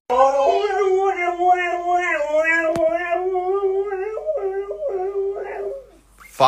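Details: Pet dog howling in a long, sustained, tonal wail with rich harmonics, holding steady then dropping into shorter wavering notes before falling quiet.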